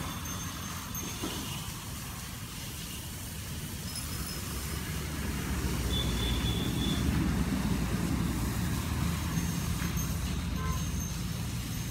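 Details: Steady rumble of road traffic and engines that swells midway, with no animal voice heard.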